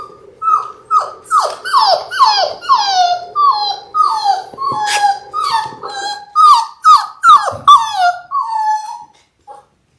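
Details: Labrador Retriever puppies in their sixth week, six littermates on an indoor live cam, whimpering in a steady run of falling, nasal whines about twice a second, with a few sharp clicks near the end before silence.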